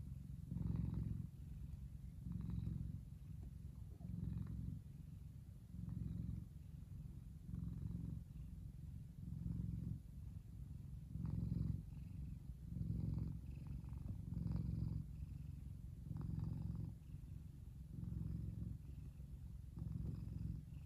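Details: A big male F2 Savannah cat, relaxing in the sun, purrs steadily, a deep rumbling hum pulsing with each breath.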